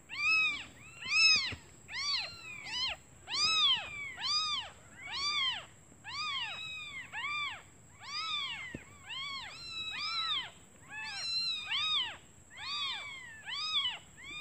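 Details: Newly born kittens crying for their mother out of hunger while she is away searching for food; a fast, continuous chorus of high arched mews, more than one caller, about one per second with overlaps.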